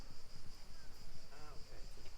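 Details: Cicadas keep up a steady, high, shimmering buzz at the Fortezza Medicea near Siena, Italy, on a calm day, beneath a man's voice and rumbling wind.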